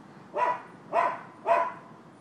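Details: Three evenly spaced, loud barks about half a second apart from neighbours' dogs, recorded 12/7/15, against a faint steady background hiss.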